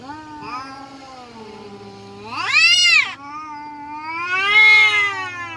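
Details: Village cats in a fight: a low sustained moaning growl dips, then bursts into a sharp, loud rising-and-falling yowl, followed by a second wavering swell of yowling.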